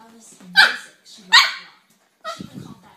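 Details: Fluffy Samoyed giving two short, loud, harsh barks about a second apart, followed by a softer rough vocal burst, with quiet human speech in the background.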